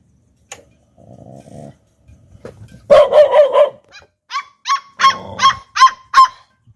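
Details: Pair of Pit Bull puppies barking: soft low growls first, then loud, rough clustered barks and a run of high yips repeated roughly three per second.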